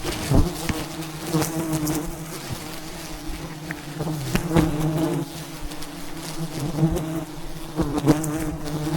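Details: Thousands of bees swarm around a giant wild beehive high in the mountains during a traditional honey harvest; a dense, steady low drone with layered harmonic hum, broken by sharp knocks and clicks from handling.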